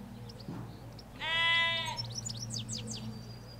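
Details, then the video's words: A loud, close bleat from a sheep among ewes and lambs in a Hampshire field, rich and slightly tremulous for nearly a second, followed by a burst of small birdsong chirps over faint road rumble. "4K Sheep Field - One Hour Sound and Video"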